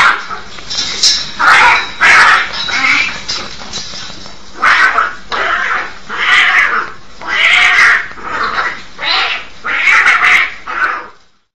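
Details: Domestic cats in a fight trade a rapid series of harsh, raspy screeches and yowls, about ten loud bursts in eleven seconds, each noisy and broad, with short gaps between.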